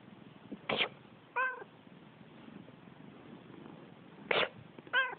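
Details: Indoor pet cat answering its owner's sneezes with meows: two sneezes, each promptly met by a brief, clear, falling meow, about three seconds apart, with low room hum behind.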